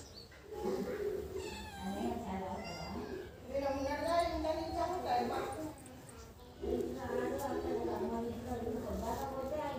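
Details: Two domestic cats, a tabby and a black cat that dislike each other, face off with long, wavering yowls that rise and fall, several drawn-out howls following one another over a quiet background.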